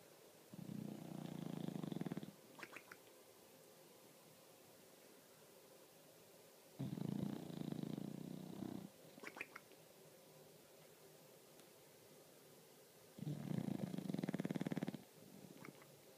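An English Bulldog snores in deep, rattling rasps, each lasting about two seconds, returning every six seconds.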